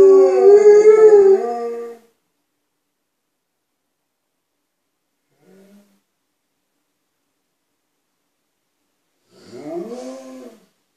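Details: Two Alaskan Malamutes, Tuvaaq then Aanaga, inside a house, vocalizing so people outside know they are there: a two-second wavering howl-like woo, a long silence with one faint short note, then a shorter rising-falling howl.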